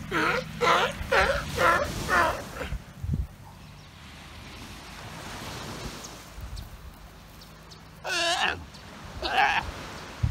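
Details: On a Galapagos Islands shore, a sea lion father scolds a hungry pup that interrupted his nap: four quick wavering bleats open the scene, then surf-like hiss, then two more drawn-out quavering cries near the end.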